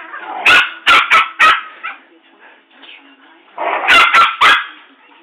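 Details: Two dogs, a Rottweiler and a poodle, in a rough play-fight: a quick triple of shrill, yappy barks, a quiet gap with faint voices, then another tight burst of three barks.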